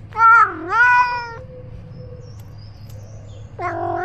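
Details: Ros, a roaming male house cat carrying a point-of-view camera, lets out two quick meows, the first dipping then rising. After a brief pause comes a third flat, sustained meow, all over a faint low drone.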